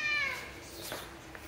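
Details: Calie, a stray female calico cat, gives one short high meow with stacked bright harmonics that slides gently downward and fades within half a second. Faint talking and room noise follow.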